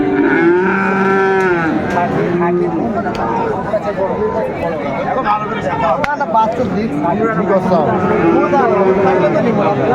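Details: At Raniganj cattle market, Dinajpur, on 28 November 2024, Friesian and crossbred bull calves moo repeatedly in short arching calls, some overlapping, over a dense background of talking traders and crowd noise.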